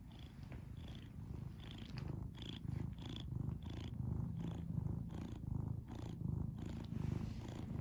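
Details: Mr. Holden, a pet cat, purring in a low, rhythmic rumble that swells and fades with each breath, roughly one and a half cycles per second, with small high ticking sounds scattered over it.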